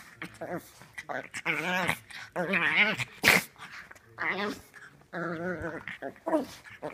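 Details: Domestic dog indoors giving drawn-out whines and yowling vocalizations with a wavering, quavering pitch, several bursts rising and falling in quick succession with short pauses between them.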